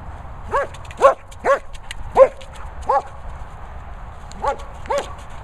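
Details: Lucy, a German Shepherd at play with her boomer ball, lets out a quick run of eight sharp, pitched yelping barks, roughly two a second, then a brief pause before the last two; faint wind underneath.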